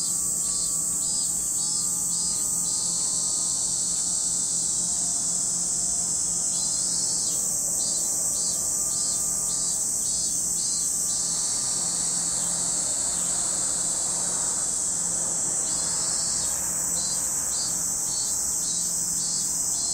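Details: Cicada chorus at Lake Kamo, Sado City, Niigata Prefecture, Japan: a steady piercing high whine runs throughout, overlaid at the beginning and end by rhythmic, rapidly pulsed buzzing bursts from other insects.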